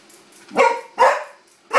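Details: A Corgi gives three sharp, bright barks spaced roughly half a second apart, reacting indoors to a wound-up toy horse set down on the floor.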